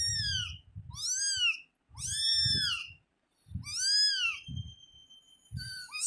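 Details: Young household kitten kept as a pet, meowing in a series of clear, arched, high mews. Each is about half a second long and comes roughly once a second, with short pauses between them. A low rumble sits underneath.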